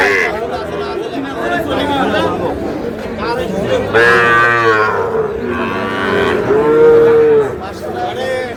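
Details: Market chatter and bargaining surround a young Sahiwal bull calf at a cattle market linked to a Noakhali farmer, 24 February. Two clear moos break through midway, the second a steady, even-pitched bellow under a second long.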